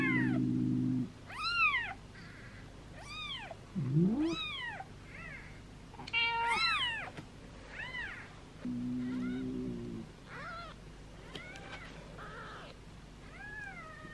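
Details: Seven two-day-old kittens being cared for while their mother is overwhelmed: repeated piercing, rising-falling meows, some quick and clipped, with a short tonal chime and intermittent low droning underneath.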